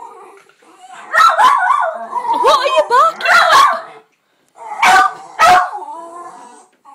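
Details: Jack Russell terriers competing in a barking contest on a birthday, giving a run of yappy barks mixed with growly, wavering vocalizing and a human voice, then two loud, sharp barks.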